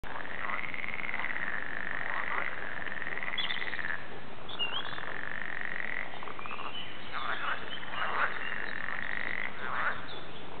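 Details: Frogs calling at the Warande in Tilburg: a dense, unbroken chorus of overlapping voices, with long drawn-out trills that rise, hold steady and dip again, plus shorter croaks breaking through toward the end.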